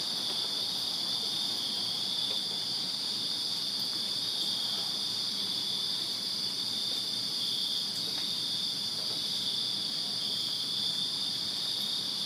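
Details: Summer night chorus of backyard crickets in Virginia, a dense continuous high-pitched trill holding level throughout, topped by a thin, faint upper whine, with a few soft clicks and ticks scattered through the calm air.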